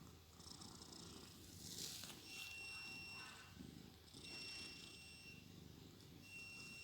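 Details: Shandy, a pet cat, snores in sleep: rumbling low breaths, some exhales carrying a thin steady whistle, repeating roughly every two seconds.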